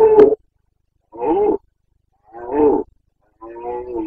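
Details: Carpathian red deer stag roaring during the breeding season in Bucovina, late September 2022: four hoarse, harmonic bellows, each about half a second, spaced roughly a second apart, with silence between and no other sounds.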